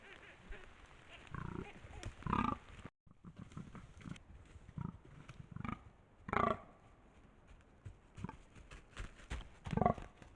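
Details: Filmed at night in autumn, a rutting fallow buck gives deep, rough, belching groans in short bursts, repeated every few seconds.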